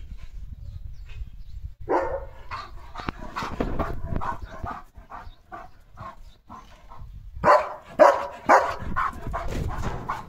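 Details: Pet German Shepherd Leo, freshly bathed with a shiny, silky coat, lets out rapid barks: a first burst, then a run of quicker, fainter woofs, and a loud cluster of barks near the end.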